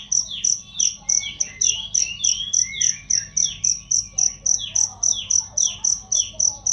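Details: Cricket chirping, recorded as training sound for songbirds: a bright, high, pulsed chirp repeated steadily about four times per second, some 25 chirps, with faint twittering bird calls underneath.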